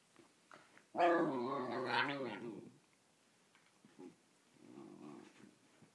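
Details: Talkative whippet pestering an Italian greyhound: a loud, sustained, wobbling howl-like moan of nearly two seconds, then a softer, lower mumbling grumble a little later.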